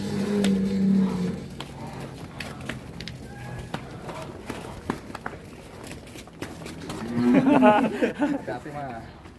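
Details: A loose, rampaging cow, caught by a child and being led to the scale for weighing, gives a steady low moo of about a second at the start. Footsteps, clatter and excited human voices follow.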